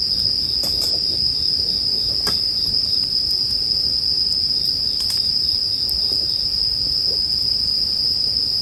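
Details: Bell cricket song layered with a campfire for relaxation: an unwavering, piercing high note holds steady for the whole stretch, broken only by a few crisp wood snaps and a faint low murmur.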